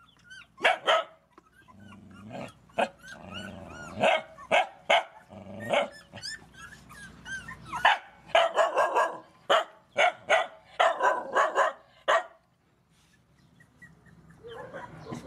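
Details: Feeding rescue mother dogs and puppies: irregular sharp barks mixed with high whines, building into a fast barking run before falling quiet with low background noise.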